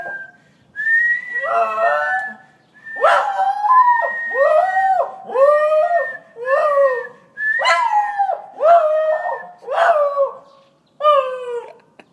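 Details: A Scottish terrier howls in a string of short, bending, yodel-like wails with brief pauses between.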